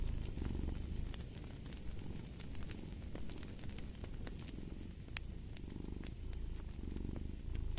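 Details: Soft, low cat purr rising and falling with each breath, slightly quieter, beneath a busy layer of snapping, crackling fire.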